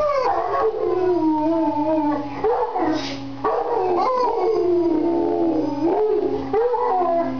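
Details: Overlapping howls from a mastiff and a man sitting in a chair, each sound sweeping from higher to lower pitch, one following another almost without a gap.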